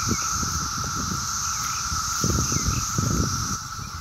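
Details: Mass chorus of 17-year cicadas on a summer day in Maryland: a steady, unbroken droning whine held at one pitch, with a fainter high hiss above it, traffic rumbling underneath and a few short bird chirps.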